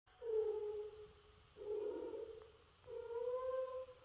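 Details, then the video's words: Bengal cat during mating, one of a breeding pair named Ash and Yuki, giving three long, drawn-out yowls that hold a steady mid pitch, each lasting over a second with short pauses between, in a quiet indoor setting. "video of cats breeding"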